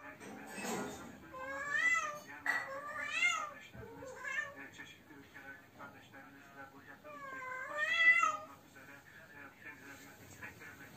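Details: Cat unable to find a mate, calling loudly: several drawn-out, wavering yowls that rise and fall, grouped with pauses between, and human speech in the background.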